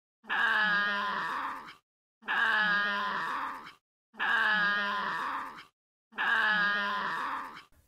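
A Tasmanian devil gives four harsh, rasping growls, each about one and a half seconds long, repeated every two seconds with brief silences between.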